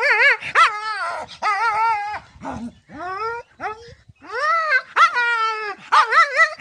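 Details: Dog giving a run of high, tonal whimpers and yelps, each rising then sliding down, with brief gaps between bursts and a few short rougher yips in the middle.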